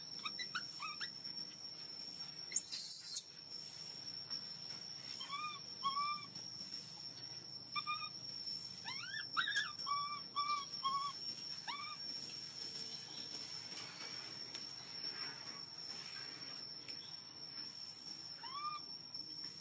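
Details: Hungry baby monkey wailing for milk in bursts of short arched cries separated by quieter stretches, with a brief loud rustle early on and a steady high whine throughout.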